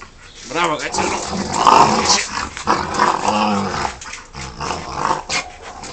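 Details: Rottweiler playing with a person, growling in rough, rumbling bursts with harmonic tones that rise and fall over several seconds, mixed with a person's raised voice calling out commands to let go.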